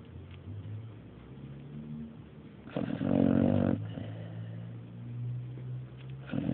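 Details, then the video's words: Dog named Mario asleep, giving one loud, harsh snore lasting about a second between soft, low, droning breaths. "Mario snoring III"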